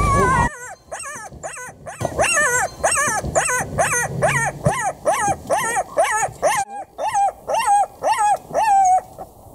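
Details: A female black-backed jackal in South Africa, March 2016, behaving strangely near a car, gives a rapid run of high, arched yelps, about two each second. This call is said to be used only between females.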